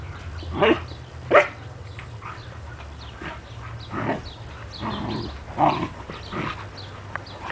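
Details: At home with standard poodle mother Juki and her puppies Rufous and Brutus, a few brief yapping barks sound at irregular intervals. Quiet talking and a low household hum run underneath.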